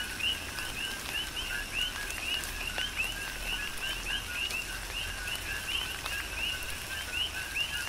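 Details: Coqui frogs in a tropical rain shower on the Big Island of Hawaii give repeated rising chirps, several callers overlapping almost every half second above a steady hum; rain patters and sharp drops punctuate the chorus.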